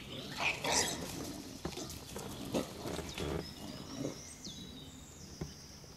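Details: Wild boar group on the Veluwe, Netherlands: a sow suckling piglets while five motherless intruder piglets try to drink and are chased off. Rough, irregular grunts and short squealing bursts, with faint high bird whistles behind.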